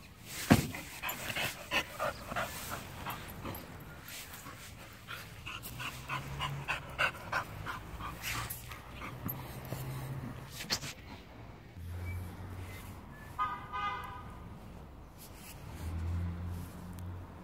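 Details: A Chow Chow pants in quick, breathy bursts while playing excitedly, with a brief, tonal whine near the end.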